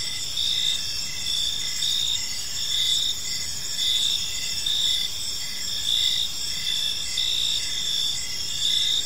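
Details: Park crickets at evening give an unbroken high, buzzy trill with several layered tones, the loudness swelling in beats about every two seconds over quiet low ambient noise.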